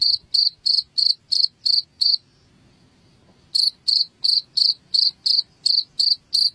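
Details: Sharp cricket chirps, about three per second, broken by a silent gap of over a second before resuming; used as a rat repellent at home.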